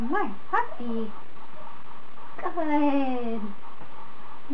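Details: A 28-day-old Standard Poodle puppy named Bond, on his fourth day of training as a future service dog, gives two tonal whines: a short rising-falling one, then a longer drawn-out cry that slowly falls, with steady background hiss indoors.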